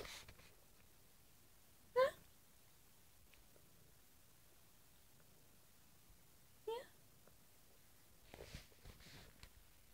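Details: Jenny, a five-year-old pet cat indoors in a small room, moaning back and forth with her owner: two brief wavering calls about five seconds apart, then faint human voice sounds toward the end.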